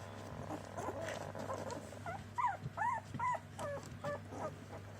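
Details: Border Collie puppies from a single litter, whining in a run of short arched squeals about every third of a second, high and wavering, over a constant low mechanical hum.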